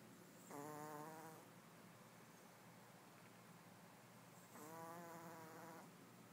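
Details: Two soft, harmonic snores come from Chanel, a Pomeranian napping together with two other dogs. The snores are separated by about four seconds of low room hiss.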